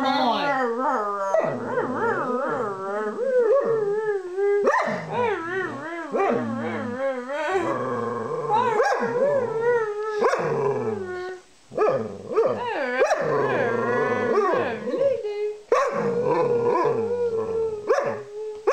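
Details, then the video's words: Lulu, a pet dog, sings along with her owner in long wavering howls that rise and fall in pitch, drawn out over several seconds, set against background music and the owner's voice praising her singing. "Lulu the Singing dog"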